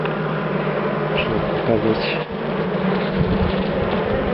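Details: Dark bee colony in a top-bar hive, wild yet very calm during comb inspection, a strong steady low buzz throughout with a brief soft thud in the middle.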